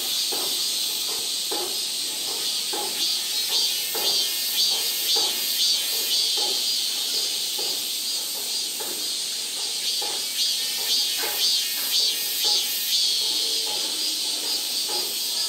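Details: Cicada calling in South Korea: a dense, buzzy, high-pitched drone with a steady rhythmic pulsing roughly twice a second, continuing unbroken for the whole stretch.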